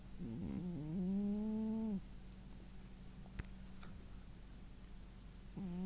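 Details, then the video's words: Worn-out male house cat asleep indoors after running around, snoring: a loud tonal snore with stacked harmonics sliding slightly upward for about a second and a half, then a steady low hum, another snore starting at the end. "Кот храпит"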